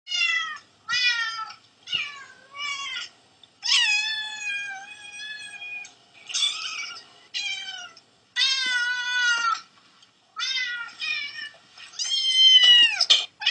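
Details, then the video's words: Cats and kittens meowing, played back to a dog: a run of short high meows, many falling or arching in pitch, stacked harmonics, some longer drawn-out calls, separated by brief silences; no other sounds. "Cats and Kittens Meowing"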